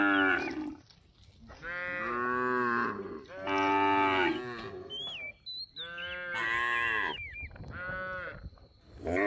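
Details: A group of cattle grazing in paddy fields gives repeated rich moos, some rising and falling, about five in nine seconds, with brief chirping birds between the calls.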